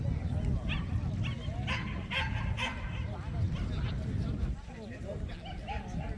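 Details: At the 67th Korea Jindo Dog Association competition for the top Jindo, several quick barks and thin yelps rise above a dense background of people talking and loudspeaker announcements.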